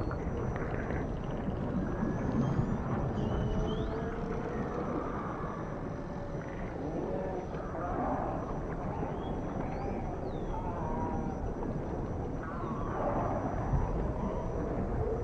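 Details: Ocean dolphins trading many overlapping, curling whistles, some faint and high, others lower and warbling, scattered throughout, with a heavy low murmur of water noise beneath.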